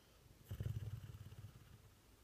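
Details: Dog snoring: one low, rattling, pulsed snore of about a second, rough and fluttering, swelling then fading into quiet.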